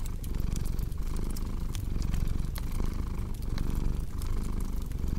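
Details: Cat purr as a continuous low rumble with less distinct breathing pulses, mixed with frequent bright crackles and snaps from a fireplace.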